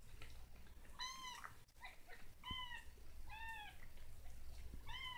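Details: Kitten practising its first wobbly steps, giving four high, arched meows, each with a quick rise and fall, spaced about a second apart over a low steady indoor hum.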